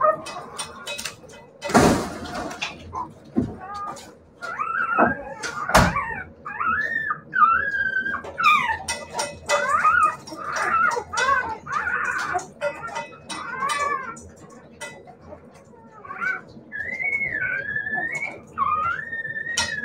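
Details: Siberian Husky puppies whining almost nonstop: high, wavering, tonal cries rising and falling, often overlapping, mixed with short yelps, thumps and clicks throughout.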